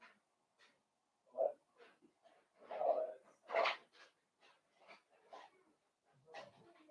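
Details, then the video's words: Five blenheim Cavalier King Charles Spaniel puppies, born at New Year to Paris and Spike, play with their mother Paris in an indoor puppy pen: irregular short yelps, whines and growly bursts, some loud and breathy, separated by brief pauses. "Cavalier Puppies Play with Mama"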